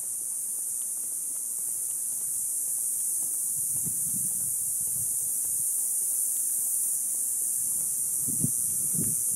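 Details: Summer cicadas chorus from an Ocotillo tree just after sunset: an unbroken piercing hiss that swells slightly louder, accompanied by crunching footsteps in the second half.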